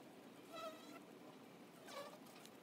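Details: Honey bees at the entrance of a hive: two short humming buzzes pass by, the first near the start and a second toward the end, each a brief whining tone that swells and fades over a quiet background hiss.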